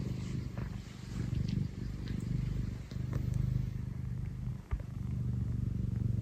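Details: Low, throbbing purr from Tino, an affectionate Scottish Fold house cat, swelling and fading with each breath, with a brief soft knock near the end.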